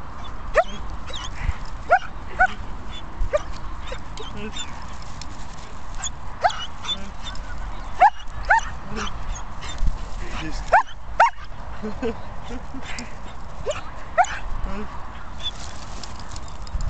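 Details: Excited female German Shepherd twisting in 360s around legs while chasing a ball: short high yelps and whimpers scattered through the recording, several bunched near the middle, with a person's voice now and then.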